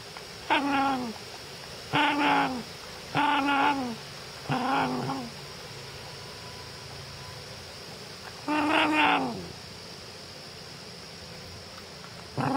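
A Cairn Terrier 'talks' in drawn-out, wavering yowls that bend up and down, repeated in short bursts.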